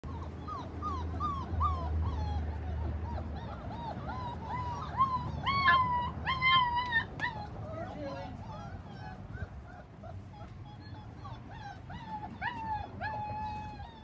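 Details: Irish Wolfhound puppies whining: high, wavering whimpers with bright harmonics, given in irregular bursts that grow loudest midway, over a low background rumble.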